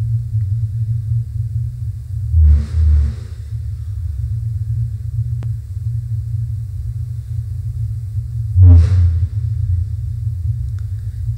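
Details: Fin whale (Balaenoptera physalus) song recorded in fall at very low frequencies below about 30 Hz, sped up twofold: deep thumping pulses spaced several seconds apart over a steady low rumble, repeated persistently.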